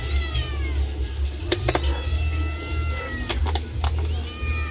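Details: Domestic cat meowing while being bathed in the afternoon: drawn-out, wavering high meows that overlap through the clip, with sharp clicks and knocks and a steady low rumble underneath.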